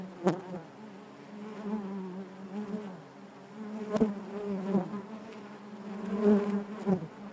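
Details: Honey bees droning in the hive, a low, even hum with occasional nearby bees buzzing louder and sharp taps now and then.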